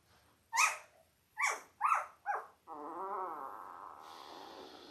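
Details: Newborn Labrador Retriever puppies, five days old, from Belle's eight-pup litter born October 15, 2023, on a live puppy cam: four sharp, loud rising squeaks about half a second apart, then a sustained quavering whine lasting over a second.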